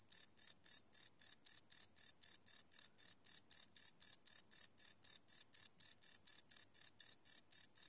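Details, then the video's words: Crickets at night, recorded live on a Sony PCM D100 field recorder: a steady train of bright, high, pulsing chirps repeated about four times a second, with no other sounds. "Cricket Chirp Sound - Cricket Sounds at Night"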